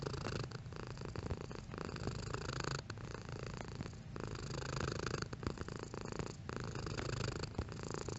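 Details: Cat purring at changing strength: a dense low throbbing hum broken by short pauses for breath, one sharper break near the middle, otherwise steady.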